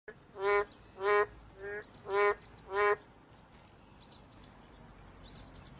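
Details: Boreal digging frog giving five short, nasal, honking notes in quick succession over about three seconds, then falling quiet while faint high chirps sound in the background.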